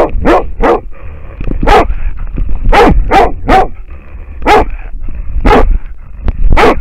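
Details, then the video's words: An American foxhound barks at a wild boar, caught on camera: rough, loud barks spaced about a second apart, some doubled, over steady low background noise. "amerikankettukoira haukkuu villisikaa / American foxhound barking at a wild boar"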